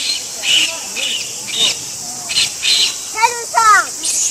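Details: Infant Japanese macaque at Ueno Zoo, Tokyo, on 23 August 2014, clinging to its mother and crying as she stops grooming and moves away. Short wavering tonal cries rise and fall, ending in two louder chevron-shaped calls, over a steady cicada hiss and distant human voices.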